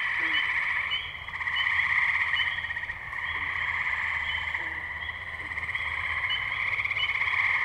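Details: Tree frogs in full chorus at Firestone Park wetlands, Columbiana, Ohio, on May 6, 2023, recorded with a Zoom H2n: constant pulsing high trills rising and dipping in loudness, with occasional brief low croaks underneath.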